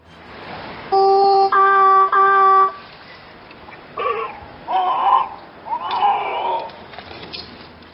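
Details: A young grey seal imitates human vowels, producing short, voiced, vowel-like moans with its larynx after steady model tones.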